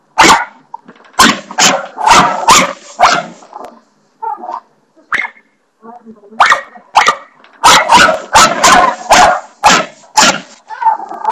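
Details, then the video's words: Barney, a dog, barking at the bathroom doorstopper: a run of about five sharp, loud barks, a pause with fainter, softer sounds, then a quicker burst of around nine barks in close succession. "barney barking at the bathroom doorstopper"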